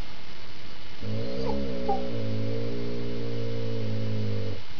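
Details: Deep, sustained growl from Rhade, a critically ill dog, during a playful tug game with his little "sister" Rommy. It holds for about three and a half seconds at a low, even pitch, with a brief rougher break early on.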